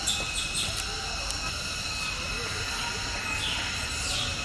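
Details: Cicadas give a steady, shrill, ringing drone that holds level without a break, in a 10-hectare protected forest of a conservation tourism park, dominated by Dipterocarpus trees, where long-tailed macaques live.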